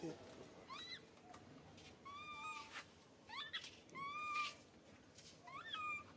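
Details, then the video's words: Baby monkey crying out loudly, hurt after being grabbed: about five shrill, rising-then-falling wails with bright harmonics, each under a second, spaced irregularly over quiet indoor background hiss. "Poor baby monkey SUCA crying out loudly"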